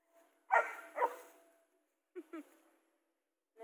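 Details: German Shepherd at its first encounter with a motionless zebra; a quick pair of barks followed by two shorter, lower yelps, with a woman talking in Filipino nearby.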